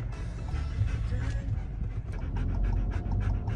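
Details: Female German Shepherd dog riding in a Ford Bronco Sport on a trip to the vet in Tucson, Arizona; soft breathy panting, clearer toward the end in quick bursts, over a low rumble from the car.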